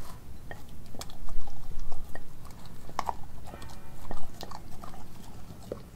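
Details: Raw-fed Australian Kelpie–German Shepherd mix named Nala chewing beef heart, liver, chicken feet and thigh; moist smacking bites and crunches come in uneven bursts, a few louder snaps standing out against a low background rumble.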